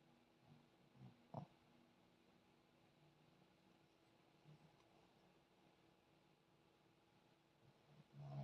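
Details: Zion, a sleeping puppy, snoring: soft low rumbling snorts around the first and fifth seconds, a louder, deeper snore closing the stretch, over a faint steady indoor hum.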